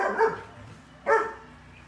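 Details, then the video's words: Two short puppy barks about a second apart, the second louder and sharper than the first. "Dog | Barking"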